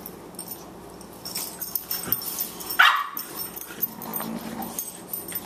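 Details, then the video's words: Two Boxers at play, 14-week-old puppy Margie weighing 18 pounds and the older Lou Dog: scuffling noises, then one sharp, loud bark near the middle, followed by softer rustling and low grumbles. "Boxers at play"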